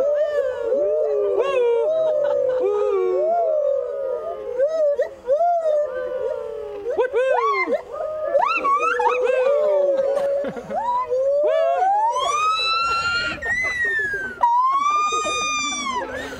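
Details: Molly, a zoo gibbon in Moncton, New Brunswick, sings loud, hooting whoops rising into long sweeping wails, her territorial call, given after encouragement while sitting on a rock.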